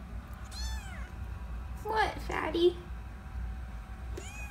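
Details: Tiny rescue kittens indoors, eyes just opened and ears still closed, in foster care: a thin, high, falling meow early on and another at the end, with a woman's soft cooing speech in between.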